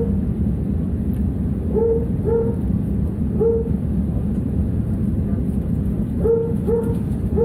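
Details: A dog in an airliner's cargo hold barks steadily during takeoff, giving short, muffled barks, mostly in pairs, over a steady deep engine roar.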